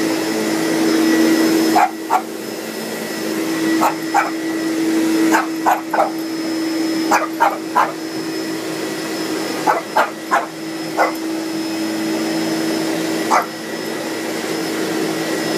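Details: Hanky, a pet Boston Terrier frightened by a vacuum cleaner, lets out sharp barks in quick pairs and short clusters, about a dozen over the stretch, against the vacuum's steady droning hum.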